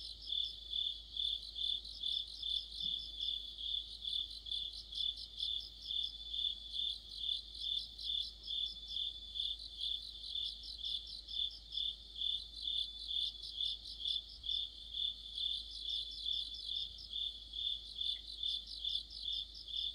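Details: Crickets and other insects singing together in the middle of autumn, recorded near a street lamp: a dense high-pitched chorus of pulsed chirps repeating a little over twice per second, with a steady ringing trill beneath and nothing else audible.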